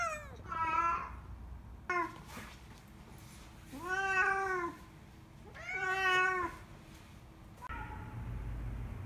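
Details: Nyangi, a white spayed female cat born June 2011, meows at the animal hospital during a February 2019 checkup for early kidney disease. There are four long, plaintive wails spaced about two seconds apart, and the last one is faint, with low rumbling after it.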